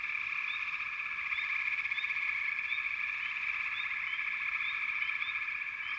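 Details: Massed frog calls form an unbroken pulsing trill, overlaid by quick high chirps that rise in pitch and repeat roughly every half second to second.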